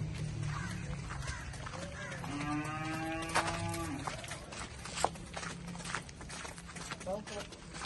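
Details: A pregnant Holstein Friesian cross heifer on a dairy farm in Swabi. She gives a single drawn-out, steady-pitched moo lasting nearly two seconds in the middle of the clip, with people talking and general farmyard noise around it.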